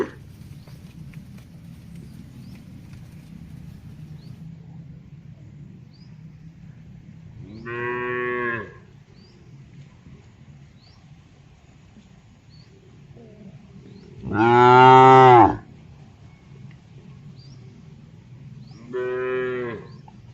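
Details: Dozens of tame cattle herded on wide green pasture, grazing and mooing in answer to one another; three separate deep, harmonic moos about four to seven seconds apart, each roughly a second long, over a quiet low background hum.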